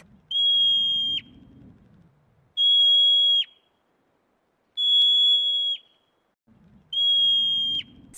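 A marmot gives four loud, steady, high-pitched whistles, each almost a second long and dropping slightly at the end, about every two seconds over a low background rumble.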